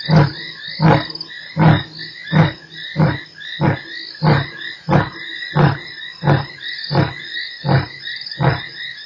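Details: Lion at Nkorho on 3 March, closing part of a roar: a regular series of short, deep, punchy grunts roughly every 0.7 seconds, about thirteen in all, with frogs croaking steadily behind.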